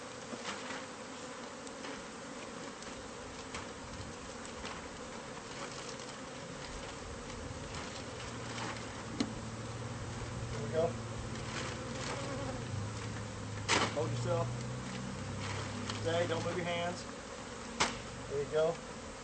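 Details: Continuous, low, droning buzz from bees whose hive sat inside the walls of a newly purchased house, recorded as pest control removes it. Scattered clicks and scraping sounds run over the hum, with a deeper rumble midway.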